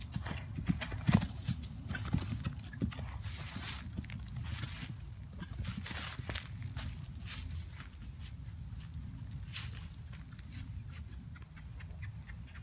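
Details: Ridden over fences for the fourth time, a 2012 RPSI mare on 29 March 2016; quick hoof strikes and clattering early on, thinning out later, set against a steady deep rumble.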